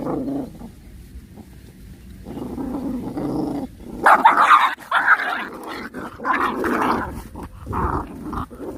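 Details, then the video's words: Puppies squabbling while eating, angry growls rising into dense snarling and yapping, a busy tangle of overlapping low rumbles and higher sharp cries. "Puppy fighting, puppies eating and angry"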